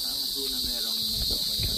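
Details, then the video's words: Many crickets chirping on the grounds of Manalo Resort in Manalo City, Philippines; a dense, steady high-pitched trill runs throughout, with a man talking and low background sounds beneath. "Ayun, maraming kuliglig, naririnig nyo."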